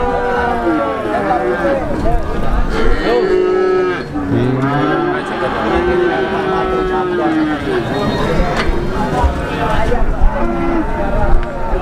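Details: Calves at the Plaosan cattle market in Magetan, Java, lowing in a busy crowd: several overlapping drawn-out moos, some rising then falling, with a steady murmur of people talking and bargaining underneath.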